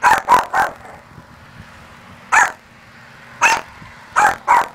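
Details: Small Maltese, Luci, barking at her mirrored image in church as though facing another dog; a quick triple yap, then single and paired sharp barks about a second apart.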